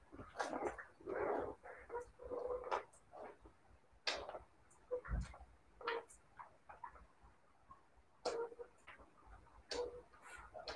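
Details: Siberian Husky puppies giving soft, overlapping whines and short yips amid frequent sharp clicking and tapping sounds, the calls irregular and fairly quiet throughout.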